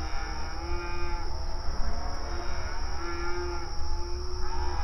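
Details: Cattle grazing on open range pasture outdoors, calling to one another: several long, level moos of about a second each, low and harmonic-rich, spaced through the stretch over a constant hum.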